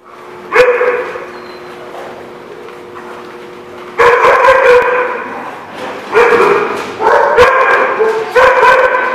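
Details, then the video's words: Dog barking, recorded 12/2/16: one sharp bark, a pause with a faint steady hum, then loud harmonic barks in quick clusters from about four seconds onward. "The Barking Lot"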